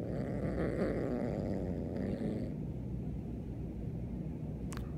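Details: Siamese kitten Beans, angry about a new kitten kept in the next room, gives a rough rasping growl for about two seconds that sinks into a continuous low rumble.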